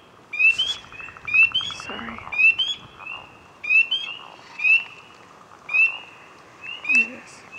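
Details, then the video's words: A frog calling from a branch after searching for movement, very loud: rising chirps with a sustained whistled tail recur every second or so, some doubled, with faint rustling of handling in between. "Frog close-up ASMR"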